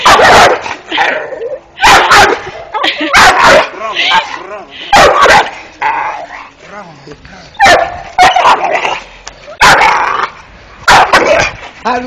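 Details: Young Dogo Canario named Malt, five months old, giving loud, harsh repeated barks mixed with yips and growls, while a person speaks briefly between the outbursts.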